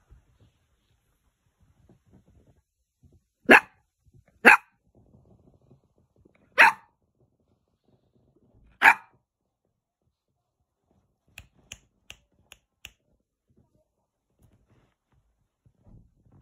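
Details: Eight-week-old male Spaniel puppy 'talking' to himself as he finds his voice: four sharp, high barks spaced one to two seconds apart, then a quick run of five faint short yips, in an otherwise quiet room.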